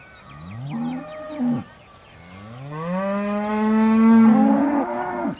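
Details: Beaulands Aussie Red dairy cow waiting to be milked, December 2012: a short two-part moo followed by a long, swelling bellow that climbs and holds for nearly three seconds.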